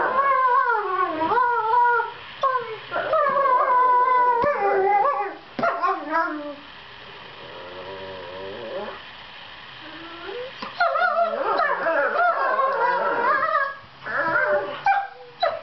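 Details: Play-fighting borzoi puppies, Velikij Pravda and Velikij Petrova, aged 7 months, trade reassuring sweet noises; bursts of warbling, yodelling whines and howls, a quieter low moan in the middle, then renewed overlapping wavering calls.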